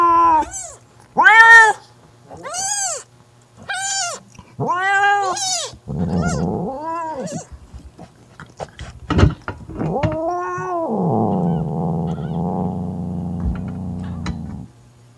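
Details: Mother cat Mocha scolding her sister Kofi away from her newborn kitten: a string of short arched yowls roughly every second, a few rougher cries, then a long steady low growl.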